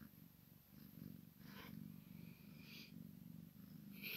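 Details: Deep, continuous purring from a Maine Coon x Sphynx cat as the kitten plays with mama; the even low rumble carries throughout, broken by brief soft rustling bursts.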